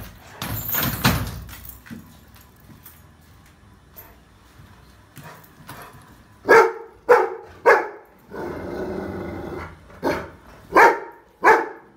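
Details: Rottweiler puppy reacting to a trolley bag: a noisy start, then sharp repeated barks arriving in pairs and bursts roughly every half second, with broad hissy noise between them.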